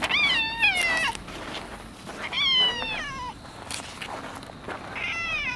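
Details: Cats checked after a typhoon in early October 2014, calling outdoors; three clear, drawn-out meows, each bending up then sliding down in pitch, about two seconds apart, with light rustling beneath.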